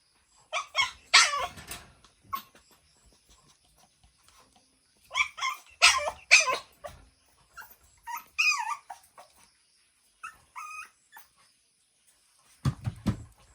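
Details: Shih Tzu x Pomeranian meeting another dog: bursts of shrill yapping barks mixed with higher, wavering whines and yips, separated by quiet gaps, ending with a lower bark.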